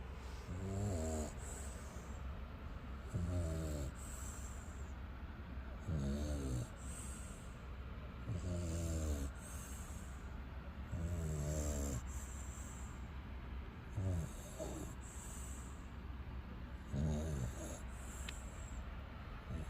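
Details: American bully named Xiong Da (熊大), the angel guarding its dad, snoring surprisingly loudly while asleep: deep, rumbling snores on each breath, about every two and a half seconds, seven in all, over a steady faint hiss.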